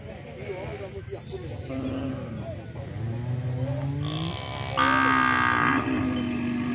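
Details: Mixed herd of Bali, Limousin and Brahman cattle gathered in a field: low, drawn-out moos rise and fall, with a brighter, higher bawl near the end over steady background chatter and noise.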